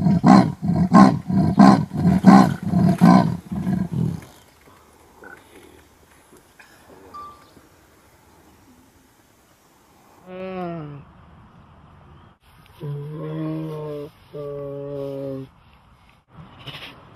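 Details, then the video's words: Big cat calling: about four seconds of loud, rough pulses repeated roughly twice a second, then a quiet gap and several shorter tonal, wavering cries with a bright, whining edge, the last two held steady for over a second. "Suara cheetah, harimau dan sejenisnya " big cat sound""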